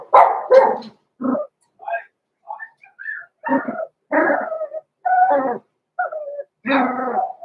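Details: Roman and Blue, six-week-old blenheim Cavalier King Charles Spaniel puppies born November 14, 2022, in an indoor pen: a run of high, squeaky yips and short barks, some rising, coming in uneven bursts roughly every half second.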